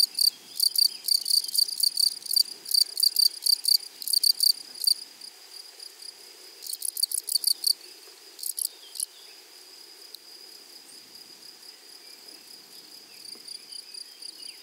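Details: Wild grasshoppers in a flowery meadow on the prairie: high, rapid pulsed buzzing in quick bursts for about five seconds, another cluster of bursts a little later, then only faint scattered chirps over a quiet background.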